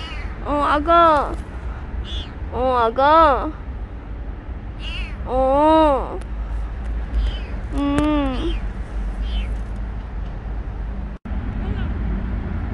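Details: Stray kitten Petit, just rescued, repeats drawn-out falling meows about every two seconds, five main cries, amid a woman's soothing Korean speech and a constant low urban rumble.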